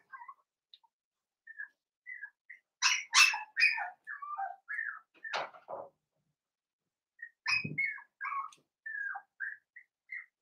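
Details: Five blenheim Cavalier King Charles Spaniel puppies, offspring of Paris and Spike born around New Year's Day, fuss in an indoor puppy pen with scattered high, chirpy whimpers and squeaks. A louder burst of yelps comes near the middle, then soft squeals trail off.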